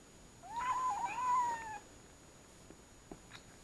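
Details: Kinked-tail kitten, nearly one month old, from Munakata Oshima in Japan, indoors on its fourth day in a new home while trying weaning food for the first time: one long, wavering, drawn-out meow, rising then falling, in a quiet room.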